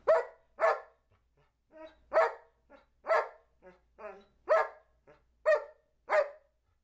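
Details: Two-year-old Old English Sheepdog Charlie B. barks out numbers as he learns to count: seven loud, punchy barks at uneven spacing, with softer muffled grunts and a person's voice between them.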